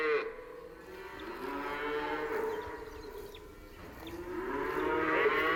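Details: Cow. Cattle give drawn-out, rich moos with stacked harmonics, each rising then sliding down before the next begins. Several overlapping calls follow closely across the stretch, steady and unhurried.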